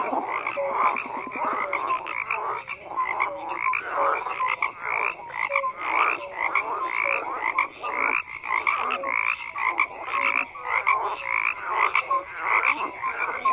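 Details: A thick chorus of croaking frogs, quick pulsed rattles overlapping in surges with short dips, and small whistled notes repeating through the din.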